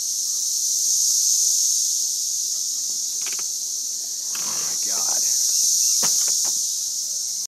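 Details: Cicadas during an emergence in Missouri, a dense continuous high-pitched droning chorus swelling and fading slightly, with brief rustles and a few short knocks in the foreground.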